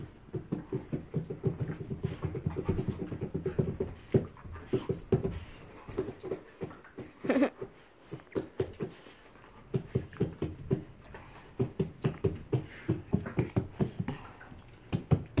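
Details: Joy and Miley, a pair of bull terriers, breathe in dense low snorting pulses that pause briefly midway and then resume in uneven bursts, with one short higher whine standing out.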